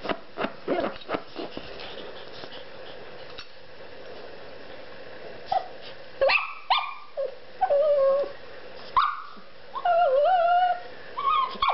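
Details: A Shih Tzu being teased in play, which she enjoys, gives short sharp barks, then high, wavering whines and yelps.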